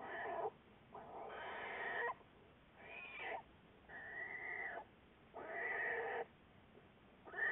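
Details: Juliet, an American black bear in a Wildlife Research Institute study, February 10, 2014: a run of loud, harmonic, wavering bawls, each half a second to a second long, separated by short quiet gaps, with a steady hiss behind.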